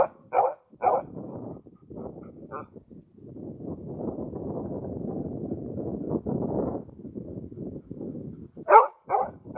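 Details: Male Karelian Bear Dog, June 2016, focused on watching other animals in the surrounding nature; a few short, sharp barks near the start and again near the end, with a steady low rumbling noise filling the middle.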